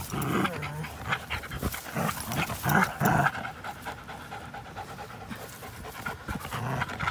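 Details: Rapid, irregular panting from an American Pit Bull Terrier and a Belgian Malinois cross playing together, recorded April 21, 2019; quick breathy huffs come several per second, with a louder cluster near the middle.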